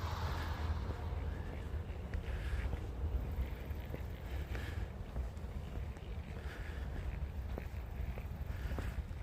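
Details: Steady low rumble of wind and distant traffic on a quiet night street, with faint knocks and no animal voices.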